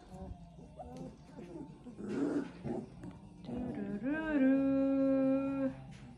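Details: Litter of Central Asian Shepherd Dog puppies, three weeks old, in Oregon: scattered grumbling squeaks lead into a long, steady, high whine held for nearly two seconds, with faint background music and a voice.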